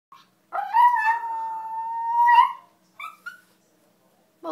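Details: A pet terrier howls, or 'sings', indoors at an owner's coaxing: one long steady tonal howl of about two seconds with a slight rise at the end, then two short yelps; the owner praises her afterward.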